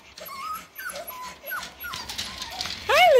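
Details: Six-week-old Parson Russell Terrier and Russell Terrier puppies whimper and whine in thin, wavering, rising-and-falling squeals, ending in a louder, sharply rising yelp, while a woman talks softly to them.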